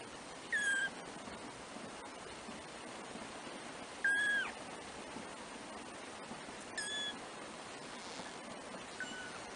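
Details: Four black kittens, three weeks old, the first litter of the cat Trisya, give thin high mews, two clear ones and fainter follow-ups spaced a few seconds apart over a steady hiss.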